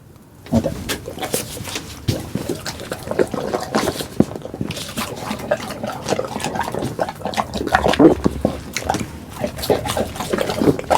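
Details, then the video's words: Pit bulls Duggee and Vivi eating for an ASMR recording: wet, crackling chewing and smacking bursts, dense and continuous, with liquid slurping textures and a few low thuds. "이 소리 진짜 강아지 맞아요?"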